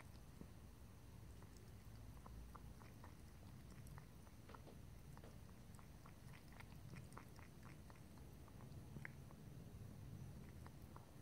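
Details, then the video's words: Domestic cat drinking water indoors, close recording: a steady run of soft, quick clicking laps, several per second, over a low constant room hum, with no talking. "ASMR Cat: Drinking, Lapping and Licking Water"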